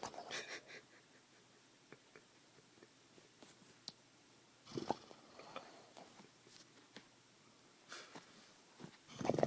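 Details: A sleeping male dog gives soft, scattered whimpers and muffled yips, with quiet pauses in between.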